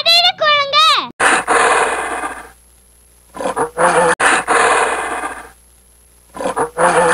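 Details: Gorilla roaring: harsh, noisy roars over a second long, alternating with short grunting bursts, the sequence heard twice after a brief spoken word.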